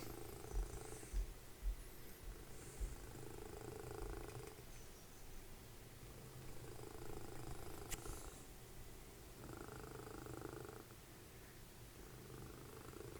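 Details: Cuddly house cat Dessie, mother of Fritjof, snores as a deep, rough, unbroken rumble while a TV show runs; sections of television dialogue come and go, with a few soft knocks early on.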